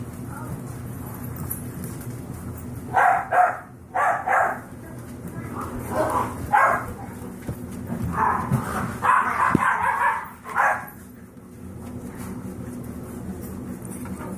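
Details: Five-week-old Yorkshire Terrier foster puppies at play, giving a run of short, high yips and small barks in bursts, some rapid pairs, over a steady low hum of indoor background noise.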